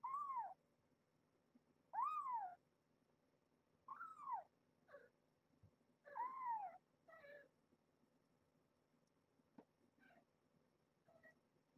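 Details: Domestic cats, a foster mother named Alice with her kittens, playing across a latched door; clear arched meows rising then falling, repeated about every two seconds, then fading into quieter, shorter mews and light knocks.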